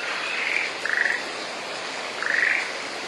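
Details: Frog calling in rain during the rainy season in a satoyama mountain village, Shimokitayama, Nara, Japan: three short, pulsed, trilling croaks, two close together and one after a pause, over a steady hiss of falling rain.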